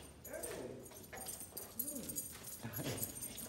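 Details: Pit bull whimpering at a reunion with its owners; three whiny, rising-then-falling whimpers about a second apart, over breathy background noise.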